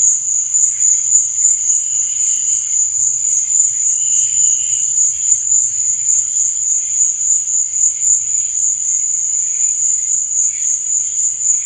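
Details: High, shrill cricket chirping at night, steady and unbroken, pulsing softly at a quick even rate, with brief fainter mid-pitched chirps appearing now and then beneath the main trill.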